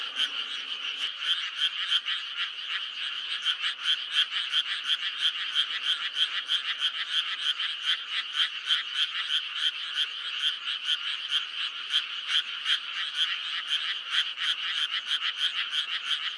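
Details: Frogs in May forming a steady, crowded chorus: rapid croaking pulses about three per second run throughout, layered over a constant buzzy drone of many distant frogs.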